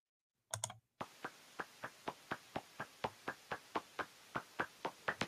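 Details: Hoary bat echolocation on a bat detector played at real speed, a steady run of dry pops about four a second, like someone running in floppy slippers.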